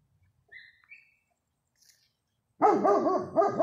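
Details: A German Shepherd 'talks' to a neighbour's dog in loud, wavering, arched yowls after a few faint high squeaks.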